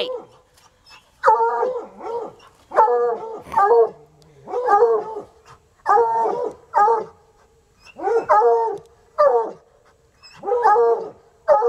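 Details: Two untrained coonhounds, still at it hours later after a raccoon, give loud drawn-out bawling barks in bursts of two or three, repeated through the stretch with short pauses between.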